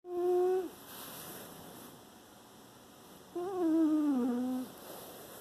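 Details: Penny the dog sleeping and snoring, September 2018: two drawn-out, whistly nasal tones about a second long, the second sliding gently downward, separated by quiet breathing in a still room.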